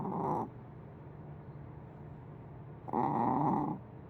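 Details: Sleeping cat snoring loudly, said to sound like a big dog: two rough, raspy breaths about two and a half seconds apart, each a broad hissing rumble lasting under a second, with steady low hum between.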